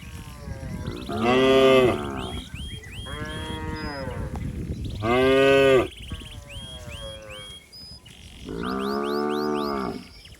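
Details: Cattle calf in a flooded rice paddy searching for its mother, giving three long, loud harmonic moos about three seconds apart, with quieter moos and sharp bird chirps overhead.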